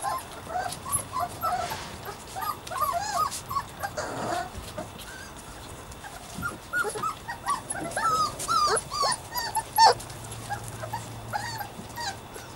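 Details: Two playing puppies, Savannah and Jericho, keep up a dense chorus of squeaky whimpers and short yelping cries, with a brief rustling scuffle in the middle.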